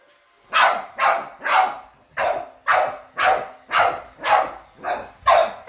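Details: House dogs reacting to a robot vacuum for the first time bark roughly twice a second, about ten hoarse, broad barks after a quiet start.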